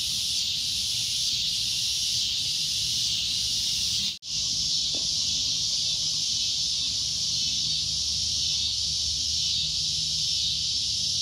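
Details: Loud shrill droning of a cicada, a constant high buzzing hiss with faint pulsing early on, broken by one abrupt brief cut near the middle before the drone resumes unchanged.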